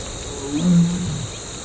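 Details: Big male tiger in Tadoba, heard on safari after swimming across a dam, calling for a mate: one deep, low moaning roar swelling and fading over about half a second, with a steady high insect drone throughout.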